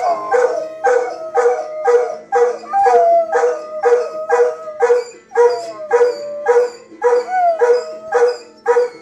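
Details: A Golden Retriever howls in long, sliding tones along to the loud, pulsing Law & Order theme song.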